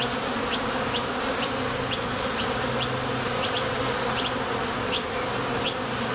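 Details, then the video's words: Steady wing-muscle hum from honey bees flying in and out of a Top Bar Hive entrance on nectar trips, a low continuous drone with occasional sharp high chirps scattered above. "Bees Sound Effects"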